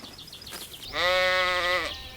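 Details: A lamb grazing in a green forest gives one clear bleat, nearly a second long, steady and quavering with strong harmonics. Soft high bird chirps come just before it.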